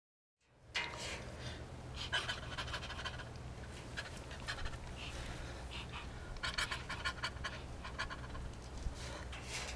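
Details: Chimpanzee at Chimpanzee Sanctuary Northwest interacting with trained caregivers through the caging; breathy, rhythmic panting bursts come in clusters, strongest near the end, over a steady low hum.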